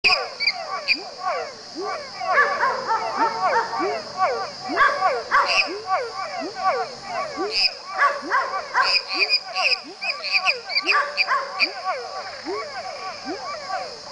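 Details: Pepper frog (Leptodactylus labyrinthicus) calling: short, low, upward-sweeping notes repeated about once a second, set against a dense chorus of other frogs giving higher chirping notes and a steady high insect-like hum.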